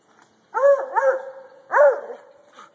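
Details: Treeing Walker Coonhound, a pet dog, barking at a log while treeing, a pastime he keeps up for hours; three ringing, arched barks with strong harmonics, two close together then one after a pause.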